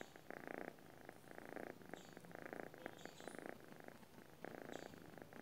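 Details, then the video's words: Sleeping domestic cat with a fuller, louder purr, rasping rumble in distinct breath-by-breath bursts roughly every second, occasional high thin chirps in the background. "cat sleeping with burr sound"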